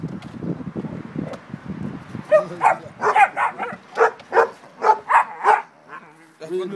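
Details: Beauceron barking in a series of short, punchy barks spaced about every half second, preceded by a man's voice speaking French and a faint low rumble at the end.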